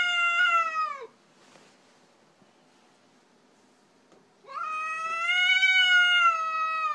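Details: Orkah, a female house cat, vocalising at an unfamiliar cat that came to visit and is unwelcome: two loud drawn-out meows, the first falling at its end, the second long and steady, separated by a three-second pause.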